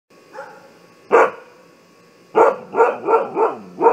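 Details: Siberian Husky barking as an alarm: a faint bark, then one loud bark, a pause, and five quick, hoarse, tonal barks about a third of a second apart.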